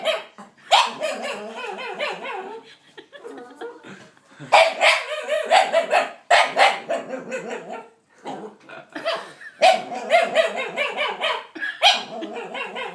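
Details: Male pet dog, called timid by its owner, giving strange noises as the owner's nephew stares at him: irregular clusters of moaning, yelping whoops and whines with short gaps, some softer grumbling between bursts.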